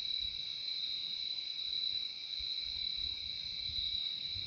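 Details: Crickets in a relaxing nature recording: an unbroken, high, shrill trill holding a steady pitch, with a lower second tone beneath it and faint soft rumbling far below.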